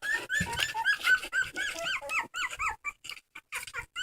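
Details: Dog crying in a rapid run of high, whining squeals, each note arching up then down, about four per second, growing sharper and more clipped before breaking into short, separated squeaks at the end.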